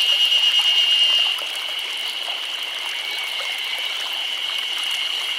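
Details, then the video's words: Summer cicada chorus in Nagano Prefecture, Japan, a continuous shrill whirring drone with fast pulsing texture, louder for the first second before settling to an even, sustained buzz. "Chorus of Cicadas"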